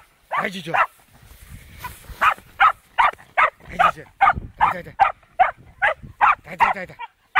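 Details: Fox terrier at its first encounter with a wild boar, barking in a fairly regular, quick series of sharp yaps, roughly two and a half per second, after a brief lull.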